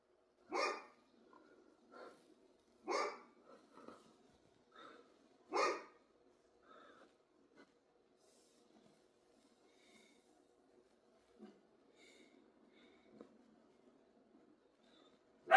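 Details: Dog giving three sharp barks in the first six seconds, about two and a half seconds apart, followed by faint scattered sounds and near quiet.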